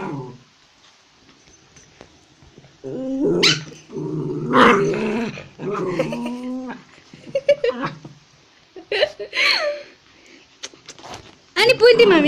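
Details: Two small indoor Pomeranian-type dogs in a scuffle, a Pomeranian attacking a Japanese Spitz in Kathmandu, Nepal: rough growls, snarls and short yelping barks in uneven bursts, with a person talking and exclaiming nearby.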